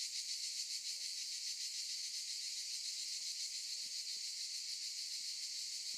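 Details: Chorus of cicadas in olive trees, a steady shrill electric buzz filling the whole stretch, finely pulsing at a fast even rate. A few faint clicks sound beneath it.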